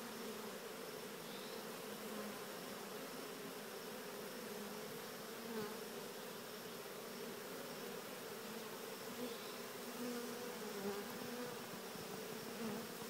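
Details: Dense, continuous hum of a honeybee swarm making a guided 'walk-in' entry to an early Cathedral Hive instead of being dumped inside; the drone holds even, with occasional individual bees buzzing louder past the microphone.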